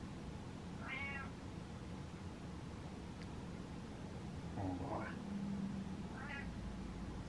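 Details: Pet cat indoors meowing to have the lights turned on, refusing the dark: three short rising meows spaced a few seconds apart over a steady low room hum.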